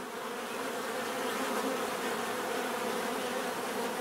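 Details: Bees buzzing in a steady, continuous drone, a dense hum layered with several wavering tones that hold level without pause for the whole stretch.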